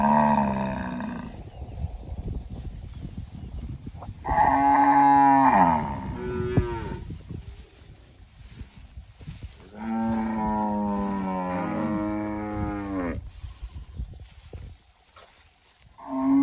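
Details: Cattle mooing very loudly: several long, harmonic-rich moos lasting one to three seconds, some bending downward at the end, separated by quieter gaps with low rumbling background noise.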